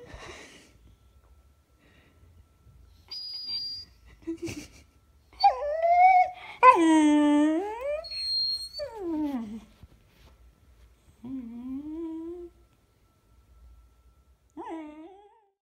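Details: Beagle indoors, recorded February 19, 2016, making a varied run of whimpers and howl-like whines, some climbing and falling in pitch, a loud wavering moan near the middle, then softer short whines trailing off.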